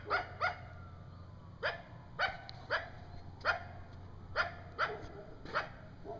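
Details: Coyote calling in the middle of the night in woods, with a young one close by: short sharp barks and yelps, some in quick pairs, repeated irregularly against quiet background hiss.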